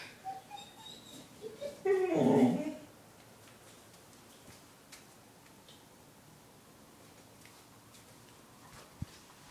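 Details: Sawyer, an eight-month-old Springer Spaniel hunting dog, chasing a cat under a car: a run of short, high, rising whines, then a loud harsh burst near two seconds, followed by near quiet and a single sharp click.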